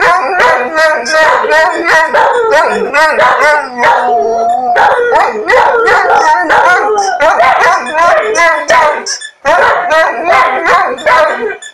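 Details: Several dogs howling together, described as singing: a dense chorus of overlapping wavering, drawn-out tonal voices with short yelping bursts mixed in, continuous for nearly twelve seconds with a brief pause near the end.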